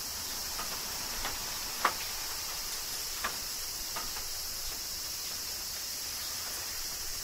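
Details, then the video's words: Summer rain in Kyoto, Japan, with cicadas: a continuous shrill buzzing wash holds throughout, while irregular raindrop taps and one sharp drip stand out against it. "Cicadas Summer Rain - Zen Sounds of Kyoto, Japan"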